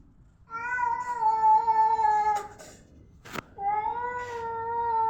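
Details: Domestic cats outdoors, described as angry and about to fight; a long, steady, harmonic meow drawn out for about two seconds, a sharp click, then a second sustained meow.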